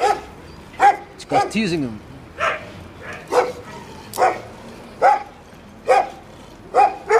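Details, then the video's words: Teasing the vet's dogs in Samandira, a Jack Russell terrier gives loud, clipped barks repeated a little more than once a second. A person talks between the early barks. "Jack Russell Samandira Tuv Muayene nin kopeklerini kiskirtiyor"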